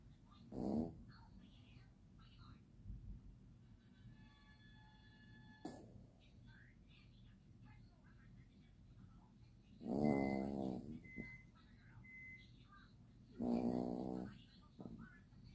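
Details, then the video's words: Six-month-old Chihuahua puppy asleep after a hard day, snoring hard. A quiet room is broken by three long, low, rasping snores, near the start and then about ten and thirteen seconds in, with faint beeps and soft background hum. "Chihuahua puppy Marley had a hard day at work 😏 snoring hard"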